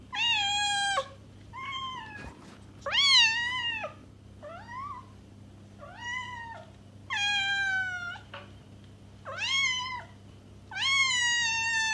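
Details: Cat meowing, a sound meant to attract a stray cat: long harmonic meows that rise then level off, about six calls spaced one to two seconds apart, with a faint low hum underneath.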